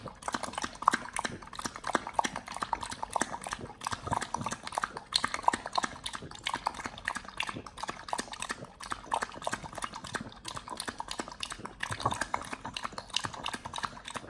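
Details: Close recording of a Pit Bull eating raw quails on a raw-feeding BARF diet: continuous rapid crunching of bones, sharp crackling clicks packed tightly together with wet chomping throughout.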